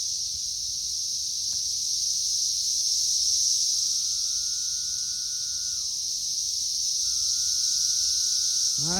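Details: A dense chorus of periodical cicadas swarming a loaded tree in May, third week of emergence, makes an unbroken high hissing drone; fainter drawn-out tones drop at the end, and a brief squeak breaks in at the end.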